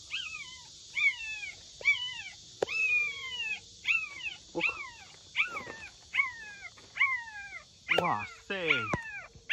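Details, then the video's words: Abandoned puppy, one of three born to a stray dog, found in a plastic greenhouse in a backyard, calling loudly: high, drawn-out yelping cries that slide downward, repeated about once a second, with brief human voice between calls. "Oh cielo, ci sono tre cuccioli qui! Uno di loro sta abbaiando molto forte."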